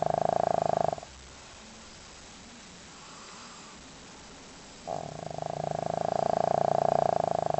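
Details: Loud snoring from Leo, a pet dog sound asleep: a vibrating, fluttery snore fades out after a second, about four seconds of near silence follow, then a second long rasping snore swells and continues.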